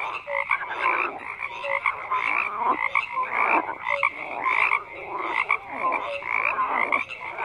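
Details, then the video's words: A chorus of many frogs croaking at once, a thick wall of raspy pulsed calls broken by bright short piping notes and lower brief hoots, rising and falling in loudness every second or so. "FROGS CROAKING"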